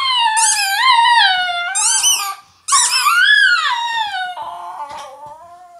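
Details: Female Italian Greyhound indoors, singing with her toy: loud, high, wavering howls with bright overtones. The pitch rises and falls in slurred arcs, with a short break midway, then a lower, fading howl at the end.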